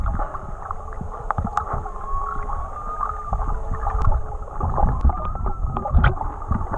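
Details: Singing whales recorded underwater in Tonga while swimming alongside them, unaltered audio: a long, slightly wavering mid-pitched tone with a lower parallel drone beneath it, surrounded by dense water rumble, sloshing and scattered clicks.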